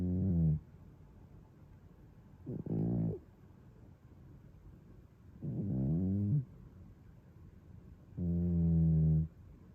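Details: A male British Shorthair cat, one of the pair Toby and Fuku, snoring at home on 17 July 2022, filmed on an iPhone 13; four low, droning, harmonic breaths, each under a second, spaced about three seconds apart, with quiet pauses between.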